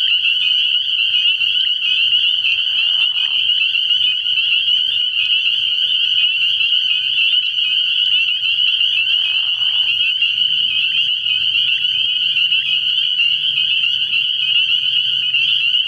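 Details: Frog pond at night early in the year, where a thick chorus of spring peepers keeps up a continuous shrill high peeping, interrupted by two short lower croaks around three and nine seconds and a soft low hum.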